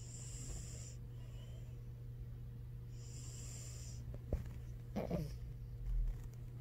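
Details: Knives the cat, snoring and then waking up: two long wheezy breaths, followed by a sharp click and a short, rough snort-like sound as it stirs.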